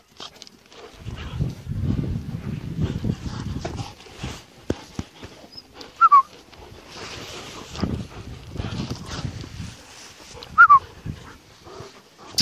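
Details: Mother German Shepherd with one puppy: two sharp, falling whimpers stand out several seconds apart over a bed of low rumbling, rustling movement and handling noise.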